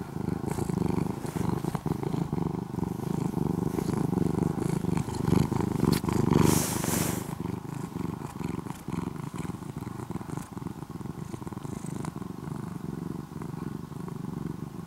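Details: Former stray orange-and-white kitten, now nearly a house cat in Japan, purring like an engine: strong low rumbling buzz that softens in the second half, with a brief rustling noise around the middle.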